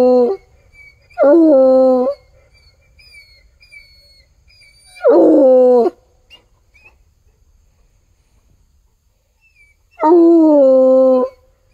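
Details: Bluetick Coonhound baying at a tree in the woods after following a scent from a walk. Four separate bays a few seconds apart, mostly steady and ringing, one rougher and breaking; faint high chirps sound in the background.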